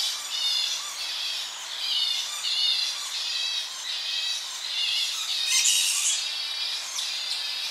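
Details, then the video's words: Tonga flying foxes in a colony at evening, close-up shrill calls from young bats squabbling; dense high-pitched screeching and chattering in overlapping bursts throughout, with slight wind in the tree. "Tonga Flying Fox / Evening. Colony. CU Shrill Calls From Young Bats Squabbling."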